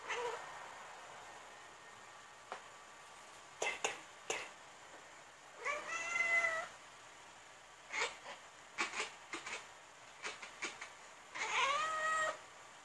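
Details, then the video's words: Tabby cat on the hunt making weird, funny noises: scattered short clicking chirps, plus two drawn-out meow-like calls that bend up and then down, against a quiet indoor hiss. "My Tabby Cat on the Hunt - making weird noises!!"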